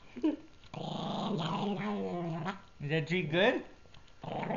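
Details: Gurgi the Pug, a pet dog indoors, grumbles over a treat he is eating: a long, low, harmonic growl that rises and warbles, then a second wavering burst. A short sharp sound comes first, and the room is quiet between.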